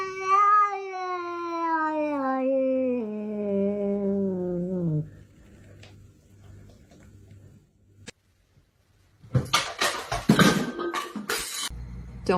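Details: Domestic cat indoors giving one long, drawn-out yowl lasting about five seconds that slides steadily downward in pitch and fades, followed by a lull and then bursts of clattering and rustling noise.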